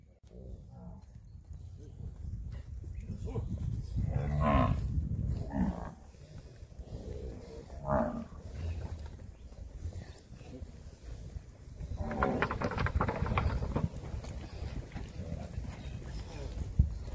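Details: Nelore cattle, weaned heifers and cows being called and moved on a farm during weaning: deep, drawn-out lowing moos from several animals, overlapping in loud bursts around four to five seconds, at eight seconds and again from twelve to fourteen seconds, with steady background rumble.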